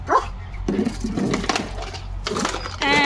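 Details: German Shepherd indoors after finding his biscuit container and running around with it in his mouth; a few short, rough barks and yaps over people talking in Marathi, ending in a higher whining tone.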